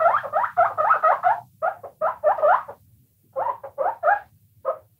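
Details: A burst of chattering, upward-twisting guinea pig squeaks, then spaced clusters of three or four notes, a brief silence, and a final few isolated squeals over a faint low rumble.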